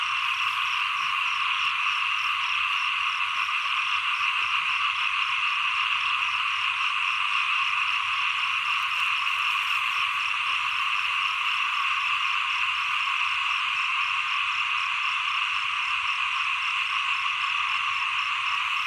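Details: Unbroken chorus of small frogs at the turn from rainy to cold season, a thick steady drone of overlapping croaks, with a fast, regular, high ticking pulse running through.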